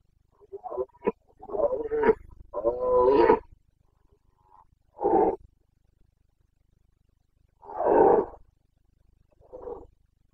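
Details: Carpathian red deer stag in Bucovina, Romania, roaring during the breeding season rut on 29 September 2022: hoarse, grating bellows in uneven bursts, several short grunts, then longer drawn roars about every three seconds.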